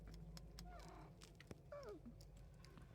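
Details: Domestic cat indoors at feeding time, one of three house cats, giving two brief meows, the second a falling, bending cry, amid clattering, tapping and a low steady hum.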